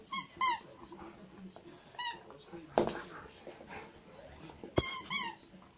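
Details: Pet Rottweiler Zhenya squeaks indoors: paired high whines at the start, a single one near two seconds and another pair near the end, each falling slightly in pitch, with people talking quietly and a knock in the room.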